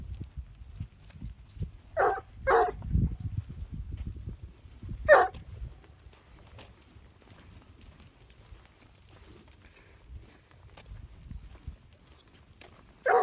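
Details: A Plott Hound herding dairy cows on a farm gives abrupt, gruff barks, singly and in a quick pair with long gaps, calling the cows in. Low wind or handling rumble runs underneath, with faint high chirps, perhaps a bird, near the end.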